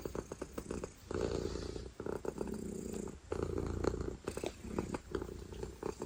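A domestic cat purrs loudly, a deep continuous rumble that swells and fades with each breath.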